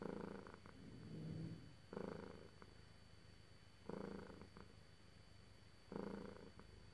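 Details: A petted cat purrs in deep, vibrating pulses, four rhythmic swells about two seconds apart, with softer rumbling continuing between them.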